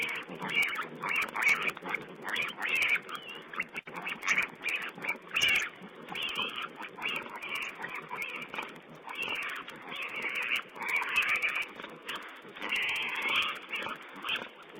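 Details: Several wild boar piglets squeal while feeding, captured by a wildlife camera on 16 April 2010. Dense, continuous high-pitched squealing and grunting chatter comes in uneven bursts throughout, with constant hiss behind.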